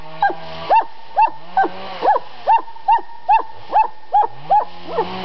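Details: Estonian summer-home dog yapping insistently, about two and a half sharp, ringing barks each second in an uneven but persistent rhythm, a soft low sound underneath.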